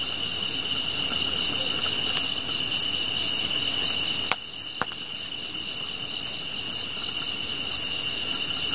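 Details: Night grass insects near a campfire give a constant shrill trill with rapid, uneven high chirps layered on top. A couple of sharp fire crackles break through near the middle.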